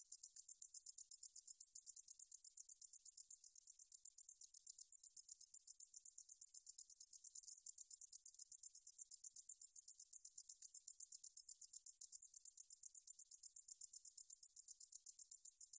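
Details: Korean meadow katydid, recorded 2020 by the National Institute of Biological Resources, singing a continuous high-pitched sizzling trill of fast regular pulses, roughly eight each second, with no other sounds present.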